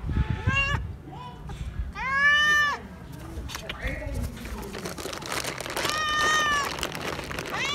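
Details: Frightened stray cat begging for more food: a short meow, then a louder arched meow, a faint low mew, and after a gap with handling noise a final wavering meow.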